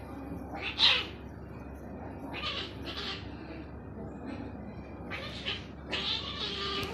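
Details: Small naughty cat crying out: five or so shrill, strained yowls in uneven bursts, the last one drawn out, with a constant low hum behind.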